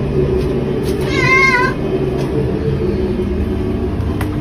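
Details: Mother domestic cat being fed lukewarm fish soup with chicken hearts and shrimp, which she enjoys: a single wavering meow under a second long, trembling slightly in pitch, over a steady hum of background noise.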